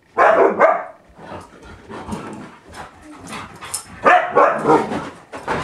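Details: A Siberian Husky reacting to a Windows XP computer gives loud, harsh barking yowls in two bursts, with quieter sounds between them.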